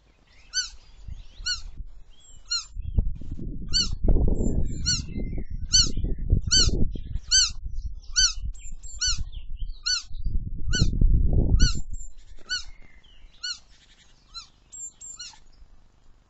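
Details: A roe deer fawn, just released after rescue from a freshly mown field, gives thin, high, squeaky peeps over and over, searching for its mother.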